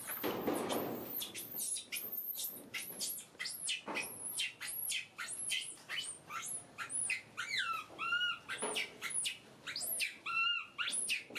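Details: Screaming pet baby monkey at home: dense, rapid volleys of shrill upward-sweeping shrieks, easing into shorter wavering whimpers with strong overtones near the end, each cry separated by brief pauses.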